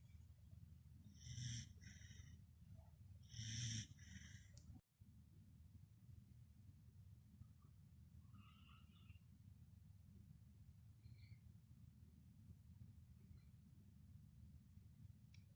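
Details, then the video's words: Pembroke Welsh Corgi dozing beside feet lets out two raspy, snorting snores about two seconds apart, then settles into quiet low breathing with faint soft noises. "The SNORING welsh Corgi"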